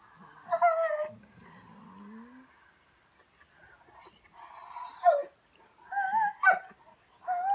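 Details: Female German Shorthaired Pointer talking back with a string of whiny, yodel-like vocalizations, some rising and bending in pitch, others short and sharp, separated by brief pauses and soft grumbles.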